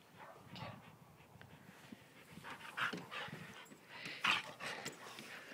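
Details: Alaskan Malamute fighting a Malamute cross dog: rough, broadband snarling and scuffling bursts in irregular flurries, with panting between louder clashes.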